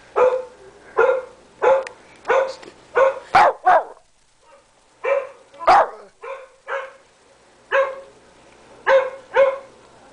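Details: Thirteen-pound Shih Tzu Tommy barks at a computer screen: a steady run of sharp high yaps roughly every half second to second, a brief pause midway, then more evenly spaced barks.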